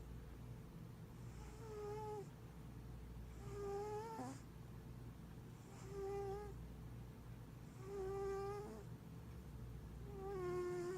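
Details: A giant mixed Maine Coon tuxedo cat snores with a squeaky, whistling tone on each breath, about every two seconds.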